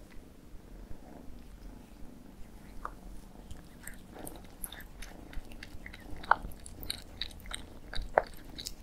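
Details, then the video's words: Cats eating indoors, with irregular crunching and biting clicks that come in uneven bursts over a quiet room background. "CAT EATING MUKBANG"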